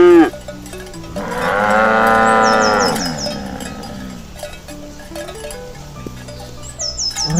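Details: Healthy livestock cows walking to the field in the morning; a sustained, steady moo lasting about two seconds stands out, then quieter footsteps and intermittent cowbell jingles follow.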